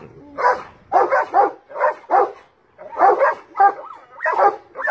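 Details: Large dogs bark at a cat in a tree: paired and single gruff barks at irregular intervals, a few with a brief whining tone between them.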